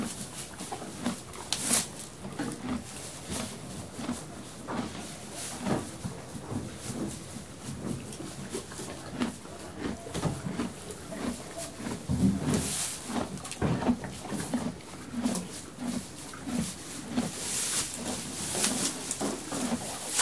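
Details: Horse eating hay in a stable, moving about: steady soft crunching chews in a loose rhythm, with rustling straw and occasional louder shuffles throughout.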